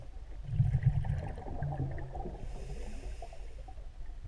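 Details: Several common toads at Tenderingsee lake on 10 April 2015 give soft, low, snoring croaks in quick bursts over a watery background.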